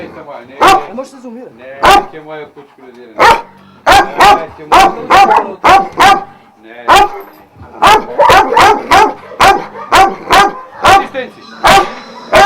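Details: Twelve Vujanski-line Šarplaninac dogs at a kennel in Jasika near Kruševac, Serbia, giving loud, booming barks, first scattered and irregular, then quickening into steady runs about two per second toward the end.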